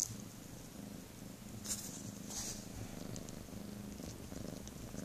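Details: Domestic cat giving a continuous, rhythmic low purr that pulses evenly with each breath, with a few soft rustling and clicking noises close by.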